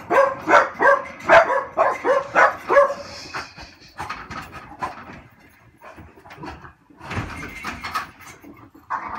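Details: Two French Bulldogs waiting around 5 PM on a weekday for their owner to come home from work whine in quick, tonal, nasal bursts, followed by a person speaking.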